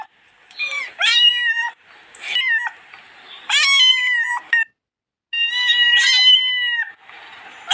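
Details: A cat gives a run of drawn-out meows, some rising then falling, roughly every two to three seconds, bright and harmonic, with brief quiet pauses between calls.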